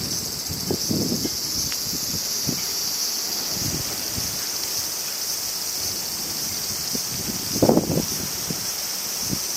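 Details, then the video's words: Crickets on a summer day in Japan, a steady high-pitched continuous trill holding without pause throughout, with low gusts of wind and rustling leaves passing beneath and a louder rush near the end. "Sounds of Crickets and Winds"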